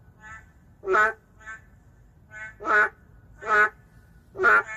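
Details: Narrow-mouthed frog, an endangered species, heard in an urban setting: four loud, harsh, duck-like croaks at roughly one-second spacing, alternating with fainter, shorter calls, possibly from other frogs.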